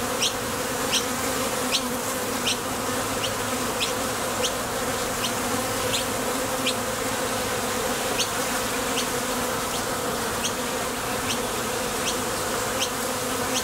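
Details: A continuous droning hum from honey bees coming and going at a Top Bar Hive entrance on nectar trips, with small sharp high ticks scattered through it at a steady pace.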